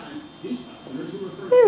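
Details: One of four male Cockapoo puppy brothers, recorded 4-18-14: murmured human voices, then a sudden loud, sharp puppy yelp that slides steeply downward near the end.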